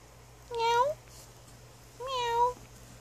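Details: Little female stray kitten, just found outside and adopted, indoors; two clear meows about a second and a half apart, the first rising, the second falling, over a faint hum.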